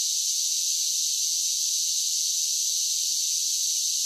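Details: A constant shrill drone of summer cicadas, unbroken and level throughout, pitched high with a hissing texture and no other sounds present.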